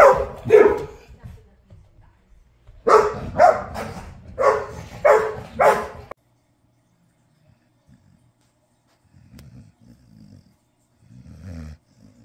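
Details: Ludo the dog barking in a morning barking competition indoors: a couple of barks, a pause, then a rapid burst of five sharp barks, followed by near silence and faint low grumbling.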